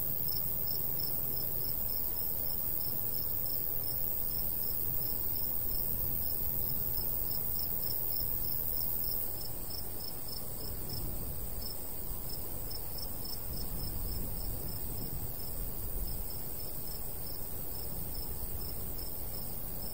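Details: Crickets chirp in a golden wheat field in the countryside in summertime, with a light breeze. A long, steady run of rapid high chirps sits above a continuous ringing insect hum. A low, rumbling wind persists throughout.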